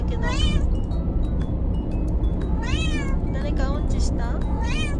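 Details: Five Bengal cats being moved together by car; several clear meows, drawn-out, rising then falling, come about every second or two over a steady low engine rumble, with human speech in the background.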